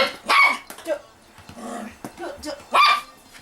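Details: Toy Poodle named Da-Ji playing a catch game indoors gives two short, sharp, bright barks about two and a half seconds apart, with a person's excited voice calling between them.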